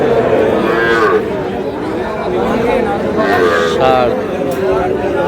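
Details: Small bull calves bought by a farmer at a cattle market in Comilla, Bangladesh, on 10 June, lowing in drawn-out wavering moos, two main calls about three seconds apart, over loud crowd chatter and people bargaining.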